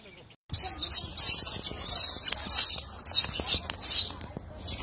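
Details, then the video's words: Wild baby macaque crying loudly after being bullied by its mother: a run of harsh, very high-pitched screaming bursts, each under half a second, coming in quick uneven succession with short gaps between them. "The baby monkey was bullied by the mother monkey and cried loudly"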